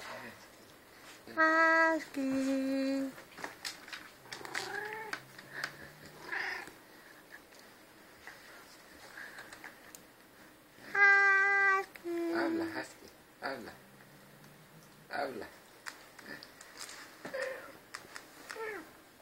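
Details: An albino domestic cat called Husky, known in its home for 'talking', lets out two loud, long, tonal meows that step down in pitch partway through, about ten seconds apart. Quieter murmured cat sounds and a person's voice come between them.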